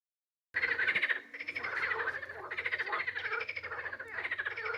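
A frog croaks in rapid pulsed bursts, a rattling, grating sound repeated without pause.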